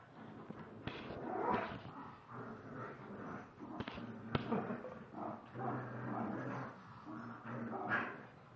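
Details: Shiba Inu male and Chinese Pug female, 32 and 23 lb, tussle in a mock dog fight; rolling throaty growls swell and break repeatedly, punctuated by clicks and knocks from paws and toys.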